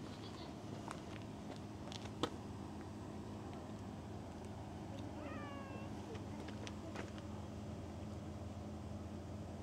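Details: A cat gives a single short meow, a drawn-out harmonic cry that dips slightly then levels off, over a steady low background hum with scattered faint clicks and taps.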